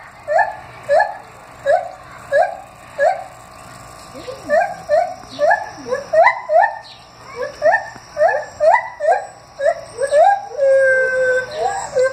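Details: Gibbons howling at the Henry Vilas Zoo on 9 August 2015: a rapid series of rising whooping notes, about two per second, climbing in pitch and quickening into a long rising wail near the end.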